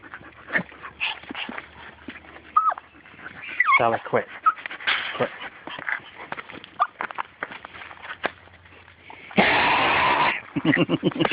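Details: Small dog wanting a turtle, giving high whiny squeals, rising and falling whimpers and short yips in quick irregular bursts. Human voices are heard around it, and a loud rushing burst of noise lasts about a second near the end.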